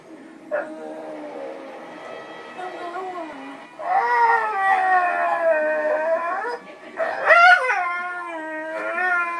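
A dog howls in long, wavering tones that rise and fall like singing.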